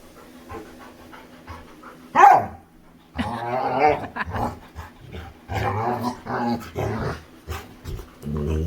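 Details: Playful female Labrador retriever vocalising while playing with her human: a sudden sharp yelp, then a run of drawn-out, throaty, growly grumbles rising and falling, with a few short pauses between them.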